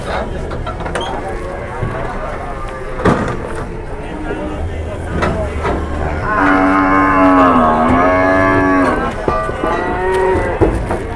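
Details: Large cattle at an Indonesian market give a long, deep, slightly dipping moo lasting about three seconds, followed by a shorter moo, with people talking and clattering in the background.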